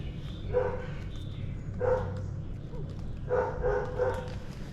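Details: Dogs barking on a morning: three short bursts of harsh, mid-pitched barks, one alone, another alone, then a quick run of several, over a steady low hum.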